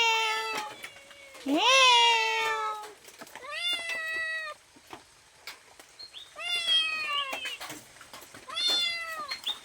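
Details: Domestic cat asking for food: several drawn-out, harmonic meows, one long and loud rising-then-falling wail followed by shorter meows at intervals, with light clicks and taps in between.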